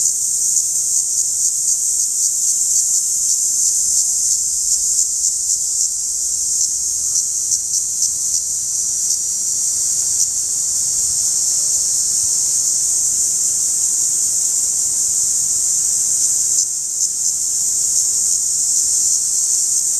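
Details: Close-up periodical cicada producing a continuous shrill buzz, level and unwavering, with a brief dip in intensity near the end before the drone resumes.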